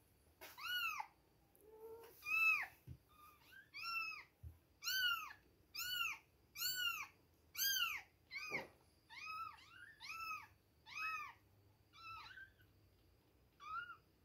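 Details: Two-week-old kittens at milk time, mewing indoors: a steady run of about a dozen thin, high, arched meows, each rising and falling, coming roughly every second with short quiet gaps between.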